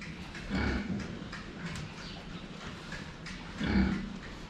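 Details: Two low, throaty grunts about three seconds apart come from pigs at their water, with quieter snuffling and low background hum between them.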